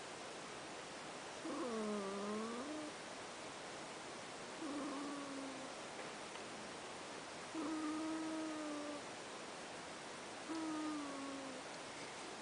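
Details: Pet cat snoring while asleep: four nasal, slightly tonal snores roughly every three seconds, each gently wavering in pitch, over a steady hiss.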